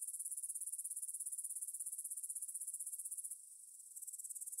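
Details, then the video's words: Grasshopper stridulation at 9pm on 6 September 2020 in a meadow by the Svensky monastery, Bryansk, Russia, Tascam DR-44WL; quick high rhythmic ticking buzz, a brief softer pause, then pulsing resumes. "Звук для сна: кузнечики на лугу – Grasshopper Sounds in the Field for a Quick Sleep"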